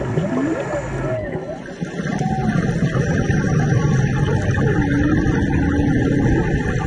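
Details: Humpback whales singing underwater off Maui in March during a scuba dive: slow, smoothly rising and falling moaning tones, some swooping upward, set against a steady broadband hiss and rumble of diver's bubbles and water noise.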